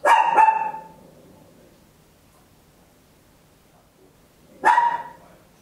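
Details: Tiny Papillon dog barking at home, recorded in stereo with an Olympus LS-11; a loud double bark opens, followed by about four seconds of quiet and a single sharp bark.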